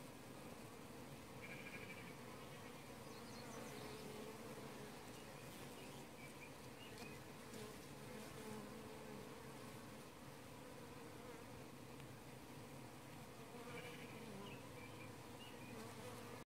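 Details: Late-evening honey bee colony at a hive's bottom entrance in an apiary, 9:45 pm; continuous deep droning hum of many bees, even in loudness, with faint higher chirps from other background sounds drifting in now and then.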